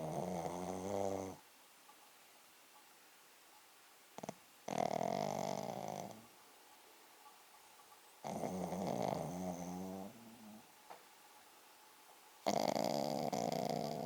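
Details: Sleeping Pekingese named Poko giving hearty, loud snores: rasping, buzzy breaths of one to three seconds each, repeated every few seconds with quiet gaps and a brief snort in between.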